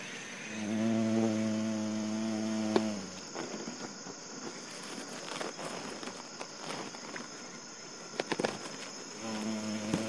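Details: Carpenter bee (Xylocopa) in flight at Midori no Mori forest, Japan, recorded live on 27 September 2019; a low droning wingbeat hum with harmonics fills the opening three seconds, fades, then returns near the end over a steady high insect whine.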